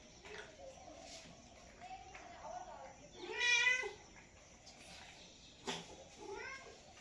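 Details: A single loud, drawn-out meow from a cat rises and falls in the middle, surrounded by faint murmuring voices and a soft short mew near the end.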